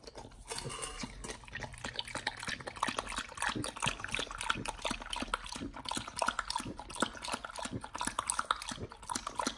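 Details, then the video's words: nomyen the Pit Bull chews a raw whole Thai duck on a raw feeding diet, first time trying it: dense, continuous wet smacking and crunching, rapid clicking bites with liquid slurping sounds throughout. "nomyen the Pit Bull 1st time eats Raw🦆Whole Thai Duck [ASMR] MUKBANG 動物の咀嚼音 | 犬が生の肉を食べる [咀嚼音]"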